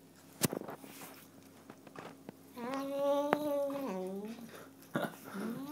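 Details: A cross-eyed chocolate point Burmese cat, while eating, lets out a drawn-out, tonal moan that swells and wavers before dropping, after sharp chewing clicks; a shorter rising cry follows.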